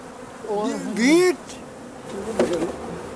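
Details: Busy honey bees in high summer at a West Cork hive, wing beats fanning it cool and ventilated; a close bee swoops past with a loud rising, then falling whine over a quieter background hum, another fainter pass later.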